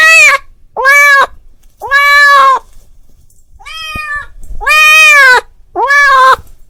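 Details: Domestic cat calling its friend: a series of six loud, drawn-out meows with rich harmonics, each about half a second to a second long, rising then falling slightly, separated by short pauses; quiet background.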